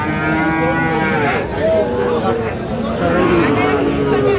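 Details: Sahiwal bull calves at a crowded livestock market in Sirajganj, Bangladesh, 5 August 2025. Several short, tonal moos sound in quick succession over a constant background of market voices and bustle.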